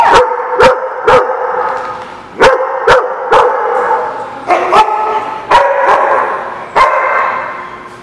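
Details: Dog barking loudly and repeatedly, sharp bark bursts arriving roughly every half second in uneven runs, some spaced closer together, with little other sound behind them.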